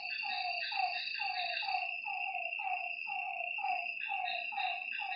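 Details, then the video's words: After nightfall by a lake, frogs give evenly spaced descending croaks about once a second, echoed by other callers, beneath a bright, unbroken insect drone. "Lakeside night creatures and frog sounds"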